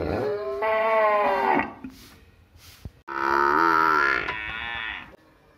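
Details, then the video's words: A village cow gives two long, tonal moos: the first steady and slightly falling, the second higher and strained. A short quiet gap with faint clicks separates them. "cow video | Village animal video"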